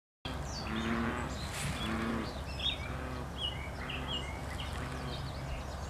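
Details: Bullfrogs calling from thick brush beside a trail near a river in a semi-desert area, in the afternoon: low, harmonic croaks pulsing about once per second, while many small birds chirp and twitter above.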